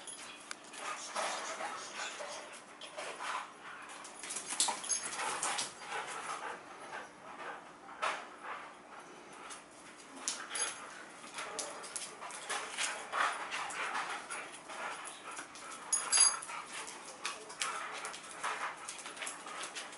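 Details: Huskies Hachiko and Koda play tug-of-war with a chew ring, giving a long run of rough, breathy growls and whines in irregular bursts, some louder surges near the end, amid shuffling and scraping.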